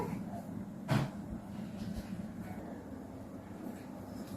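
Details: Low indoor rumble resembling a passing vehicle, with faint distant speech and one brief thump near the start; no animal voices can be made out.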